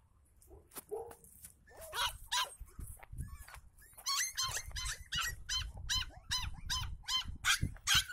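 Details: West Highland White Terrier barking in a rapid series of sharp, high yaps, roughly two to three per second, growing denser and louder after the first few seconds; faint low background rumble.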